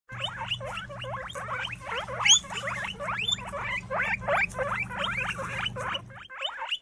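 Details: Guinea pigs from a litter of three males and one female, now seven months old and healthy. Quick series of rising, harmonic squeaky chirps, about three a second, over a steady low electrical hum that stops near the end.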